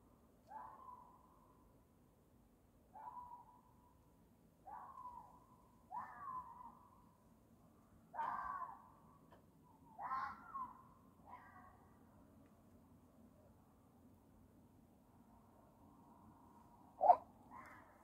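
A fox gives a series of harsh, hoarse barking calls, each dropping in pitch, as a mating call.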